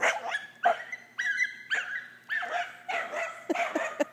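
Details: Gordon, a Scottish terrier frightened of a pool toy, gives a rapid run of short, tonal barks mixed with whiny yips, roughly ten bursts in four seconds, irregularly spaced and growing choppier toward the end.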